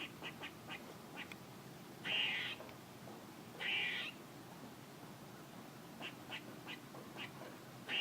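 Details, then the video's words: Squirrel making noises: two short, harsh, buzzy bursts about a second and a half apart, with faint scattered ticking chirps between them over a quiet background hiss. "A squirrel making noises"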